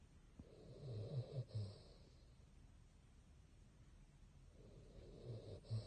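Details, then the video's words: Basset hound named Bongyi, officially Boci from Silverlake, snoring while asleep indoors: two low, rumbling, raspy breaths with a faint hiss on top, separated by a quiet pause of about three seconds. "How to sleep with open eye 02 | Basset Hound cuteness"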